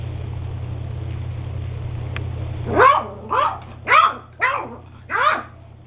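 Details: Beagle puppy Max, eight weeks old, gives five high, yelping barks about half a second apart after a quiet start with steady low hum in the background.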